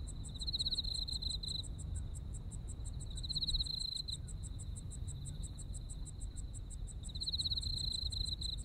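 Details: Autumn insects in Japan: a steady high pulsed chirp repeating rapidly, about four per second, over a lower continuous trill that swells in bursts, with low rumbling background noise throughout.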